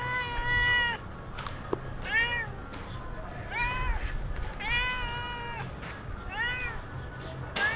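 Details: Stray cat mewing somewhere in Sharm el Sheikh: about five clear, drawn-out meows that arch up and fall, given one to two seconds apart over a steady low background hum.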